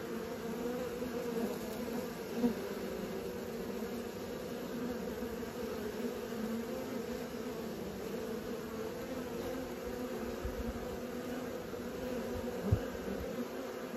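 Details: A continuous hum of many honey bees learning to fly: a dense, level buzz with two steady tonal layers and two sharp clicks standing out over the drone.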